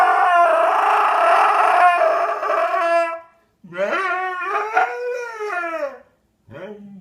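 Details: Dog making funny noises: a loud, rich sustained howl lasting about three seconds, then a wavering, yodelling cry that rises and falls, and a short final whine.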